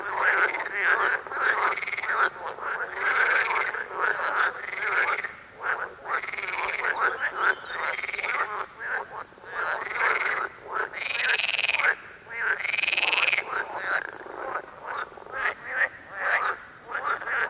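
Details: Chorus of frogs in yellow lilies calling with rhythmic, twangy croaks roughly every second, with occasional brief pauses between bouts.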